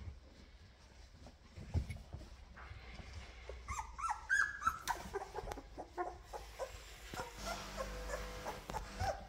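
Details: Labrador Retriever litter indoors with mother Chilly as she prepares her puppies for lunch; thin, high whimpers and short yips cluster around the middle, over a low steady mechanical hum and scattered knocks.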